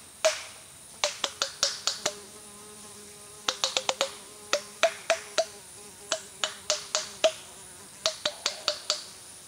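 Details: A curious group of white-lipped peccaries (Tayassu pecari), approaching after a guide called them, clatter out sharp, dry tooth clacks in quick bursts of three to six.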